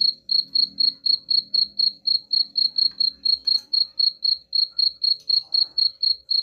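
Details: Steady cricket chirping meant to drive rats away: bright, high chirps repeated about four times a second without a break, over soft low background noise.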